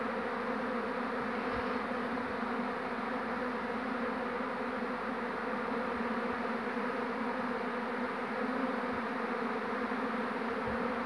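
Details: Honey bee swarm being hived by a beekeeper on 2 June 2019 after the queen was caught; a dense, steady droning hum fills the whole stretch, with a few faint knocks.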